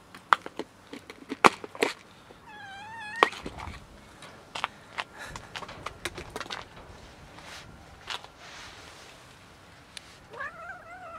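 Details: Female cat making odd noises while being touched: two short meows, the first wavering and trembling, the last rising at the end, amid loud knocks, clicks and handling noises.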